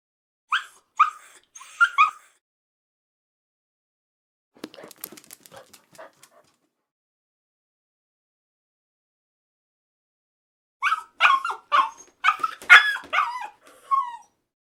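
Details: Puppy giving short high yips and whimpering barks in bursts, with a quieter patch of scratchy clicking noises in between.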